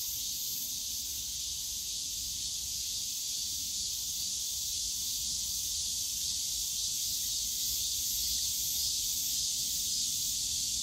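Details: Dense cicada drone in the Yongsan Family Park bamboo forest on a summer day, a loud, constant high buzzing hiss that barely varies, faint rapid pulsing within it, and a low background rumble.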